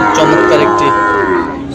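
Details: A loud, even moo from cattle at the Aftabganj market in Dinajpur, with Friesian and crossbred bull calves on sale on 21 February, heard close up with faint market noise behind it.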